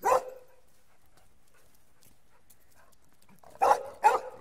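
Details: Puppies give three short, sharp barks: one at the start, then a pair close together near the end after a long quiet gap.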